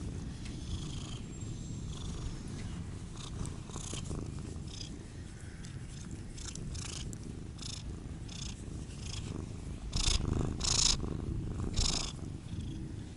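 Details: Low, even purring from a Siamese cat, Otani or Yozora, running throughout with frequent crisp rustling and shuffling noises, louder toward the end.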